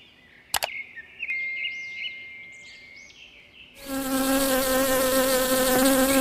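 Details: A bee foraging on flowers gives a steady, low droning buzz that swells in close, rich in harmonics and holding an even pitch.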